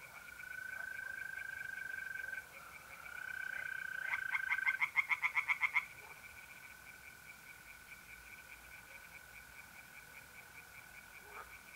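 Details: Night-time pond in north-east Italy in mid-April, with tree frogs singing. A long, steady mole cricket trill runs throughout, broken around the middle by a loud burst of quick, rattling frog croaks lasting about two seconds.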